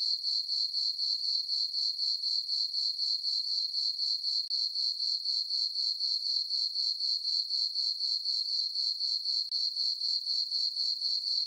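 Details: A meadow on a farm on a full-moon summer night, where crickets keep up a high, tinkling chirp, evenly pulsed at about four per second for the whole stretch. The setting is otherwise quiet.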